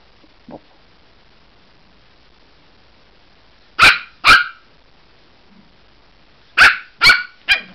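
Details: Maltese puppy playing inside a cat cube toy gives sharp, high-pitched yaps: two quick barks just before the four-second mark, then a burst of three more near the end, with near silence and a faint soft knock early on.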